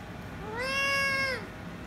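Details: Ginger kitten and rescue kitten, one angered then kissing and licking the other: a long, steady, even-pitched meow lasting nearly a second, rising gently at the start and falling away at the end, with a quiet background.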